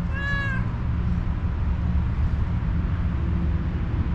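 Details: Homeless one-eyed tuxedo cat, described as angry and hungry, gives a single short meow near the start, then only steady low rumbling background noise.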